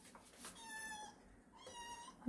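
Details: Kitten meowing indoors in the morning while being fed, two drawn-out meows with a clear harmonic stack, the second starting about a second after the first, with a woman speaking softly nearby.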